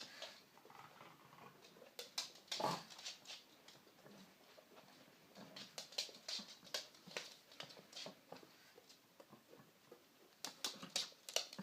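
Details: Female pug indoors making her odd celebratory noise after finally getting her bone, a gift usually given after a walk or trip. Quick, irregular, breathy snorts and clicky bursts, about two per second, louder flurries near the start and end, quiet room.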